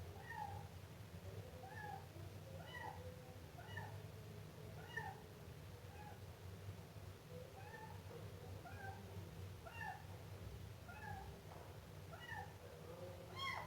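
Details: Siamese kitten meowing insistently, a rapid run of short high cries coming almost every second without pause, over a faint low hum.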